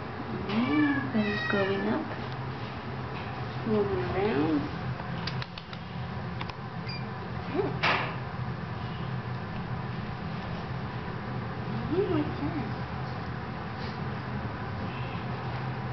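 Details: Kittens eighteen days old mewing: thin, wavering high calls that rise and fall, heard in short bouts near the start and again around four, eight and twelve seconds, while a woman speaks softly to them between the calls.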